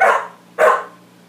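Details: Max the dog barks twice at his reflection, a loud clipped bark followed half a second later by a fuller one that trails off, with a quiet steady hum in the room.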